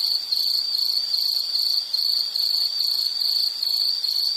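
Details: Loud high-pitched insect chirps in quick rhythmic bursts, about two to three per second, forming a pulsing shrill trill.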